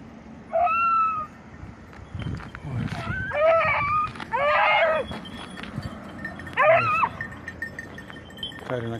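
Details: Beagles of red and blue tick and lemon-white coats during hare hunting practice on Crete, Greece, in 2022. Several short, tonal, harmonic bays are spaced a few seconds apart, some wavering, over rustling background and faint voices.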